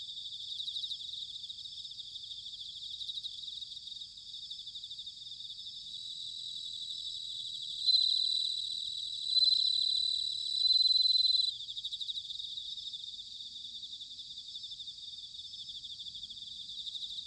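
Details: Autumn bell cricket song from Sanuki in Chiba Prefecture, Japan: three clear, sustained ringing bursts in the middle, each a second or two long, rising above a continuous shimmering chorus of many chirping insects.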